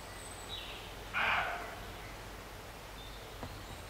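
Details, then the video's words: A single short, hoarse bark from a roe deer, recorded near Morpeth, Northumberland, in August 2012, standing out against soft rustling outdoor background with a faint click afterwards. "Roe Deer Barking"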